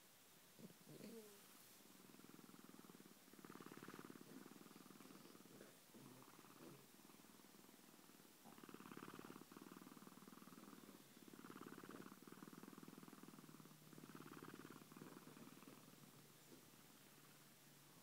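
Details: Sleeping domestic cats purring softly indoors, a steady low rumbling purr in long breaths, each swell lasting about two to three seconds with brief pauses between, quiet and close.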